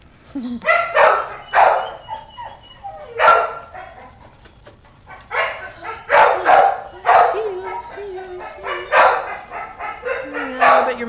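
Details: Puppies barking and yipping almost nonstop in rapid high-pitched bursts, with a few drawn-out whines mixed in among the yaps.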